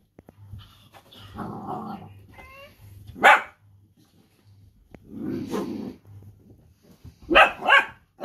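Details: Two Dachshunds in rough and tumble play: low grumbling growls, a brief whine, then sharp loud barks, one near the middle and a quick double bark near the end, with quieter growling between.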